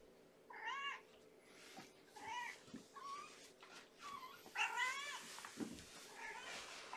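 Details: Hungry female kitten Amber, one of five kittens of mother Gamora born April 14, meowing at bedtime feeding in an indoor kennel: a string of five or six short, bright, wavering meows about a second apart, with light handling noise.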